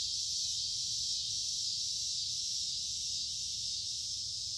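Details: Summer cicadas singing en masse in creekside woods on a warm, humid day; a steady, piercing buzz with faint rhythmic throbbing within the constant wall of sound.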